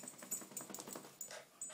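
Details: A male Lhasa Apso gives quick, breathy huffs and soft whines, eager and excited to go for a walk as his owners get him ready.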